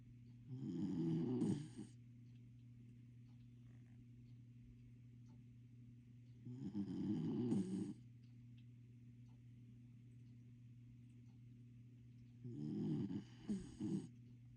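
A corgi snores in slow, rasping bursts, each breath lasting about a second and a half.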